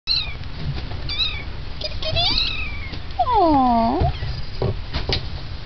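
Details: Kittens meowing indoors: several overlapping high, thin mews, some rising then falling, with a louder drawn-out descending mew near the middle and short chirping calls scattered throughout.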